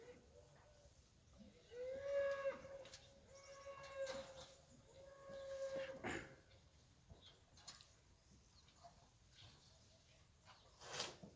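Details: Fighting bulls (ganado bravo) eating; a long, steady, tonal moo holds level for about four seconds with a brief rise at the start, over faint background noise and a few clicks.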